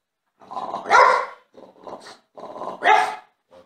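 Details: A jealous French Bulldog whines and grumbles in two rising, throaty bursts, asking for attention.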